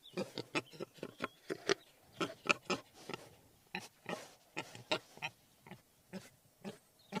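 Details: Wild boar grunting: a run of short, rough, low grunts and snorts, irregularly spaced, several per second in bursts with brief pauses, no other sounds evident.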